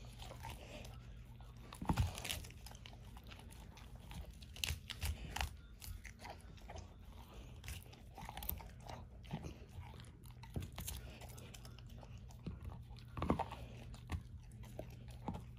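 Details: Ava, a 13-year-old female German Shorthaired Pointer, eats a whole dehydrated turkey wing for breakfast indoors. Sharp bone crunches burst out irregularly over a low steady hum, louder snaps near the start and end.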